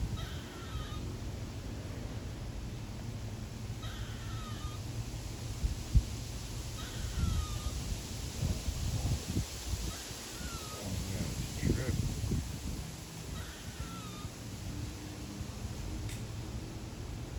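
A squirrel gives short, nasal, wavering calls, repeated every two to three seconds over a low rumble.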